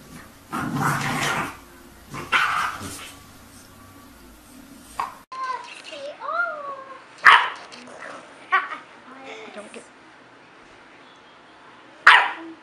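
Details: Dog indoors in a small room, giving two sharp, loud barks about five seconds apart in the second half, after a stretch of human talking and some soft rising and falling vocal tones.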